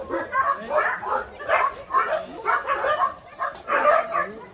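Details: Many shelter dogs, abandoned medium and large breeds gathered at a Gyeongju, South Korea care school, barking together in repeated overlapping bursts, with human speech mixed faintly into the din.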